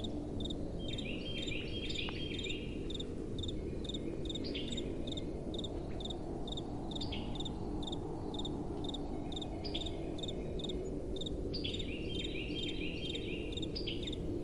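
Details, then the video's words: Crickets calling at night with a gentle wind blowing: short bright chirps repeated roughly twice a second in a steady rhythm, mixed with a few quick falling chirps from other callers over a constant low rushing wind. "Relaxing Night Time Sounds | Crickets & Soft Wind"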